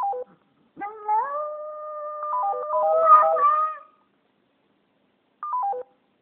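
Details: Japanese Spitz pet dog howling at a phone: a brief electronic falling tone sequence, then a long, level, clear howl lasting nearly three seconds that wavers at the end over stepping phone tones, followed by another short descending tone run.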